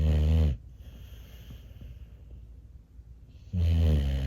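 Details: Sleeping rescue bully breed pup named Lumina gives deep, low, rumbling snores, one loud harmonic snore opening and another closing, with a quiet breathy stretch in the middle.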